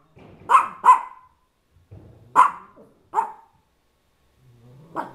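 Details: Dog defending his turf: sharp barks, a quick double bark followed by three single barks at uneven intervals, with low growling murmurs in the gaps.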